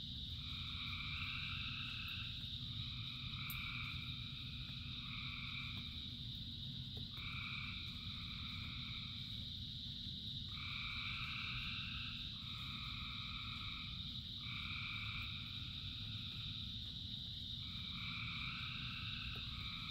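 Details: Frogs calling in the rain, thousands singing together. Two-tone croaks come in bursts of roughly one to two seconds with short gaps, over a continuous high-pitched ringing chorus and the heavy low hiss of falling rain.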